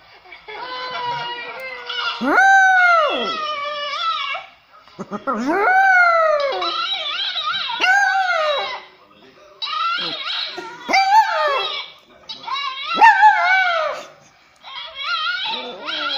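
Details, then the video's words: Howling French poodle puppy reacting to videos, giving a series of rising-then-falling tonal howls and yips separated by short silences, some sharply swooping upward before trailing down. "French poodle auyando !"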